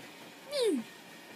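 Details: Stinky, a cat on a loft bed indoors, gives a single short meow, starting mid-pitched and sliding steadily downward over about a third of a second, with a quiet room hum behind it.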